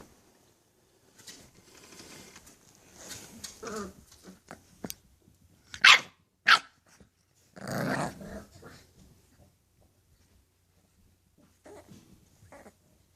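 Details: English Bulldog puppies giving scattered short growls and yelps, with a few brief sharp bursts in the middle and quiet gaps between them.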